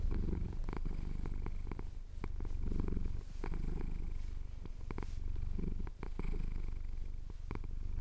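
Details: A pet cat in the Cotswolds purrs while having his chin scratched at sunrise; deep, steady rumble rising and falling in breath cycles roughly every two to three seconds, with faint clicking handling noises.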